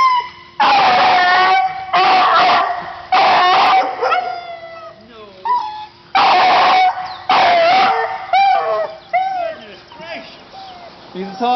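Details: Male Beagle, described as a talker, producing long drawn-out howling bays, each lasting about a second with wavering pitch, in bursts separated by short pauses, while a person speaks softly between the calls.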